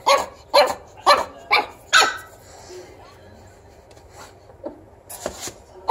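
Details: Zero, a tiny pug puppy, telling his owner off with a run of five sharp high barks about half a second apart, then a pause and a few softer yaps.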